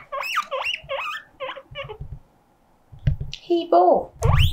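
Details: Guinea pig Mokohei, crying like an alarm to signal loneliness, lets out five rising squeaks. After a pause come thuds, a wavering squeal and a last upward whistle.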